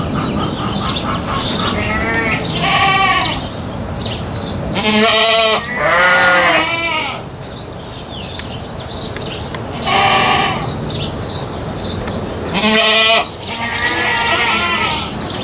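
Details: Goats on a farm calling repeatedly, harsh shaky bleats in separate bursts every two to three seconds, some short and clipped, others drawn out, with low rumbling noise between calls.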